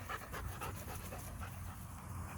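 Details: Show-line German Shepherd in Florida panting: quick breathy pulses, roughly four per second, held steady across the stretch over a low rumbling background.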